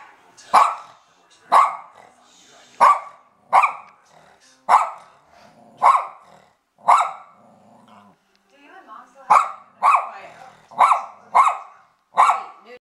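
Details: Adult male Bichon Frise dog barking while confronting a balloon that intimidates him: sharp, punchy barks repeated about once a second, a brief pause near the middle, then a faster run of barks, with faint growling between.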